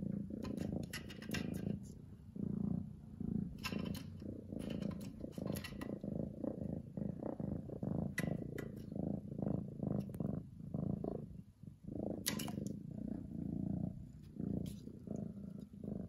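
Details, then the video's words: Lily, an orange domestic cat, purring loudly indoors: a steady low rumbling throb with rhythmic pulses, broken by brief scratchy rustles and clicks from movement. "Loudest purring in the world"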